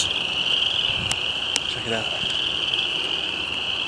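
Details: A dense spring peeper chorus in springtime at a small pond, with high, shrill peeps merging into one steady ringing trill.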